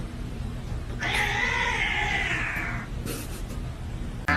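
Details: A domestic cat from a funny cat-fails compilation gives a drawn-out, wavering yowl of nearly two seconds, with strong overtones. A brief, scratchy burst follows, over a low background rumble, and a sudden loud thump comes at the end.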